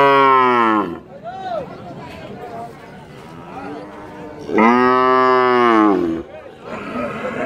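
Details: A dairy cow at the Rajshahi City cattle market, recorded 6 February 2019, gives two long, deep, harmonic-rich moos over a low murmur of people.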